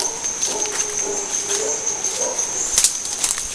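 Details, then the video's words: Early-morning howler monkey troop in the jungle at Gatun Lake, Panama Canal area: drawn-out rough roaring notes rising and falling, a persistent shrill insect whine, and a few sharp clicks near the end. "Vale, guapo. We have more howlers monkeys here. They're too loud."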